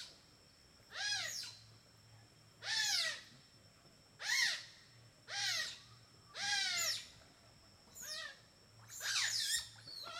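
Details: A bevy of playful smooth-coated otters give shrill, harmonic squealing chirps, each arching up then down, about every second and a half, while eating fish for dinner in a river in Borneo.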